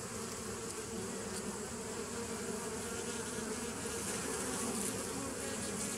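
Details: Steady drone of many bees, 27 September 2018: an even, low humming buzz with layered tones that holds level throughout without pauses.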